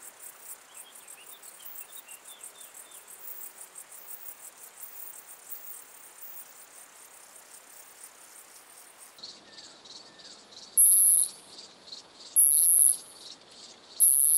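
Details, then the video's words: Short-tailed Plump Bush-cricket (Isophya brevicauda) in Muhrtal, Austria, on 24 July 2022: a faint pulsed high hiss at first, then three loud, brief, very high buzzy bursts spaced about one and a half seconds apart. "Isophya brevicauda -- Kurzschwänzige Plumpschrecke -- Short-tailed Plump Bush-cricket"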